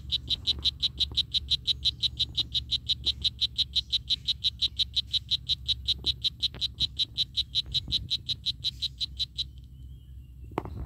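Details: Oophaga pumilio, the strawberry poison dart frog, giving a long series of brief high chirping buzzes, nearly three each second, that stop just before the end, over a low steady rumble.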